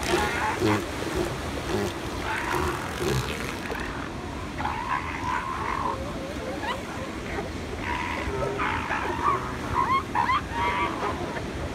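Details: Elephant seals at San Simeon in January 2016, a chorus of overlapping harsh, wavering calls rising and falling in bursts every second or two, set against a steady roar of surf.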